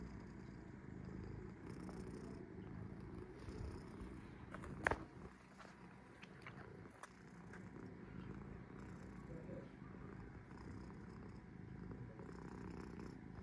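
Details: Cat Sora purring at rest: a quiet low rumble running throughout, interrupted by a sharp click near five seconds and a few faint taps, then settling back into an even drone.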